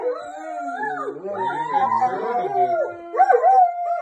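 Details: A Great Dane cries in long, wavering howls, overlapped by a Poodle's whines, after their owner took the pitbull out for a walk.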